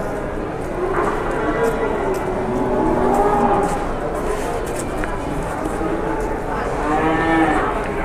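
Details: Moos from cattle at the busy Pasar Jelok market in Boyolali, Indonesia, where a giant cow arrived: short, overlapping lowing calls in a dense chorus, masked in places by crowd noise and distant traffic.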